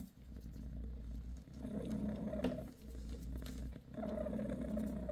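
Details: Mother cat Bassy gives her kittens a massage, purring in deep continuous rumbles that fade briefly at each breath, roughly every second and a half, over quiet room background.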